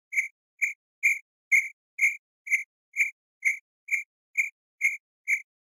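A cricket chirps in a clean, high trill-like pulse, each chirp brief and ringing. The chirps come at an even, unhurried pace of roughly two per second, with no other sounds behind them.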